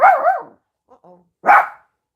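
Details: A neighbour's dog barks next door: a wavering, whine-like yelp, a couple of soft faint sounds, then one sharp, rough bark. Nothing else is heard.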